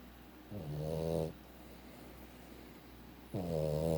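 A Boston Terrier snores in long, low, rattling breaths, each lasting under a second.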